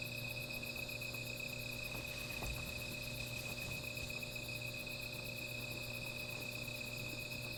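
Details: Insects at night by a small fire producing a continuous shrill, layered hum and a rapid, very high pulsing trill about four beats per second, with a few soft knocks or crackles near the middle.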